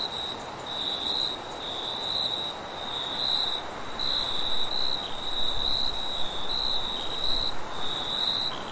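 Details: Night-time crickets give rapid, high chirping trills in uneven overlapping bursts, joined by a steady fainter higher tone, with a low rumbling background beneath.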